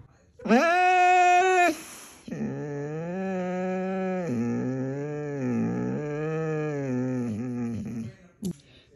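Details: Siberian Husky named Moon talking sassily at home: a short high yowl, then a long, steady, wavering moan-like howl lasting several seconds, in a small indoor room.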